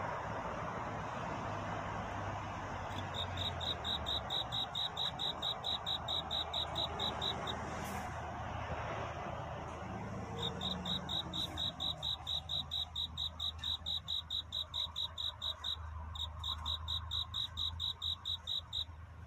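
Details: Cricket singing at night in a courtship song; clear, high, evenly spaced chirps come in two long runs with a pause between, over a steady broadband rumble and hiss like distant traffic.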